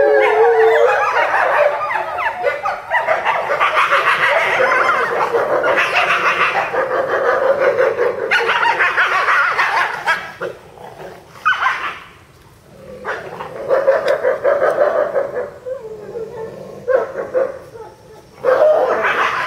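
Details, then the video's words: Captive eastern timber wolf family of eight at a zoo in Japan, July 2011, howling as a group: a dense chorus of wavering howls mixed with yips and rough barking, with brief lulls before the voices surge again. "シンリンオオカミ一家「遠吠え」Eastern Timber Wolf Family Howling"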